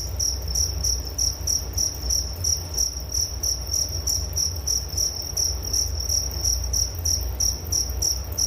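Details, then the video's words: Crickets chirping steadily in a high, thin pulsed trill, about three chirps every second in an even rhythm, with a soft low rumble underneath and no other animals. "Relaksasi Suara Jangkrik Penghantar tidur || Nature Sound of Crickets"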